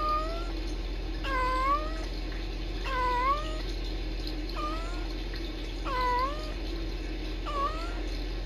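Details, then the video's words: Two kittens, Sisko and Mila, on a live cam at the Tiny Kittens Society rescue, trilling to each other: short chirping trills that dip then rise, repeated about every one to two seconds over a steady low indoor hum. "Tiny Kittens Sisko & Mila trilling and talking to each other"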